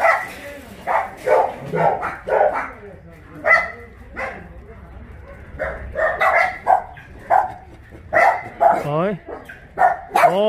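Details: Shelter dogs at Mindeulle Shelter in Yangsan giving bursts of barks separated by short quieter gaps, with some whining yelps and a low background hum.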